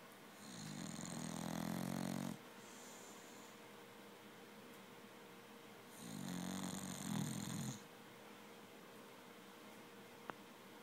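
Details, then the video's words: A 10-month-old female English Bulldog snores loudly during a nap, possibly face down, giving long, rasping, low rumbles with quiet pauses between breaths. "English Bulldog Mousya snoring!!"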